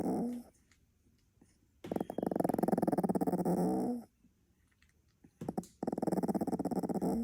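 A Staffordshire Bull Terrier puppy snores in its sleep with low, rattling, growl-like breaths.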